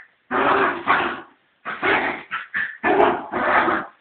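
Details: Fox Terrier scuffling with its cat, producing long, broad, rasping barks and growls, two sustained bursts, a pause, then a run of shorter and longer harsh barks.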